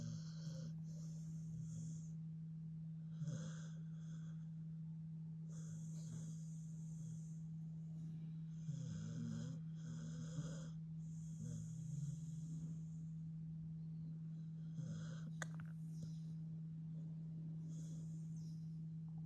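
A Staffordshire Bull Terrier snores in slow, raspy breaths over a steady low hum.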